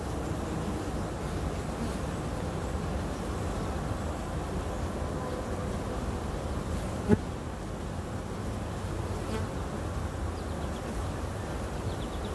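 A steady, low drone of many honey bees buzzing together, with one brief click partway through.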